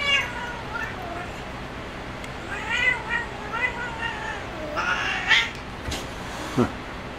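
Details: Domestic cat playing on a cat perch, producing a run of short chirpy meows with wavy harmonics in the middle of the stretch, then a few brisk clicks and knocks near the end.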